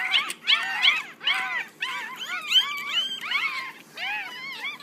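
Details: Week-old Yorkshire Terrier pups, a litter of six, wail in loud, shrill, arching cries, a few longer drawn-out notes among clusters of quick squeaks, several voices overlapping.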